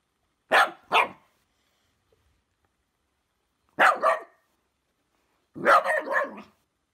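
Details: A female Shiba Inu in West Sussex, England, frightened of and disliking a fidget spinner, gives short, sharp barks in quick pairs and bursts, separated by silent pauses.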